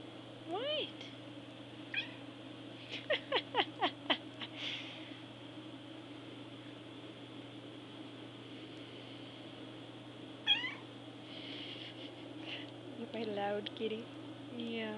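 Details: A hungry pet cat named Moon Sugar meowing loudly indoors while food is almost ready; several short rising meows early on, a cluster of quick calls around three to four seconds, then a few more near the end, with a steady low hum and a person laughing and talking.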